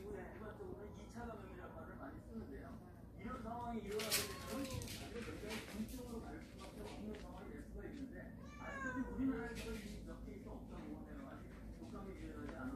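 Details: Domestic cats, a warehouse cat family that has come into the house, give short rising-and-falling meows, a few scattered across the stretch, while people talk over them indoors.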